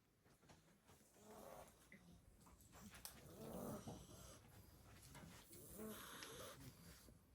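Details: Blue Staffordshire bull terrier puppies, seven weeks old, snoring while asleep after two hours of partying at a Christmas party. Soft, faint breathy snores rise and fall in slow swells over a quiet background.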